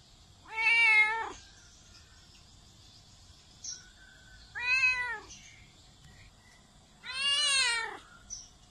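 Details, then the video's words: Domestic cat giving three clear, bright meows, each bending up and down in pitch, the last one longest, with pauses of several seconds between them; meows meant to call cats over. "Meows to ATTRACT CATS"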